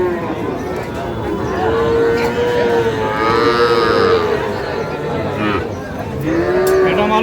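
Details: Small bull and heifer calves at a livestock market in Pabna, Sahiwal bull calves included, 12/5/25. A long, steady moo lasts nearly three seconds, then a shorter one follows, with men's haggling voices throughout.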